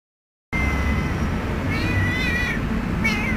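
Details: Community cat named Tua-Pui-Meow, recorded 12-09-2008, giving short meows with bright, slightly rising tones around two and three seconds in, set against loud, steady background rumble.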